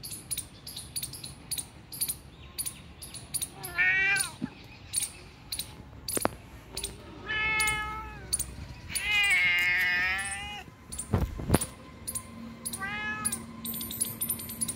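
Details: Cat found two kilometers away from home, giving four meows, one long and strained in the middle, others shorter and falling, against steady rapid clicking and a couple of dull thumps.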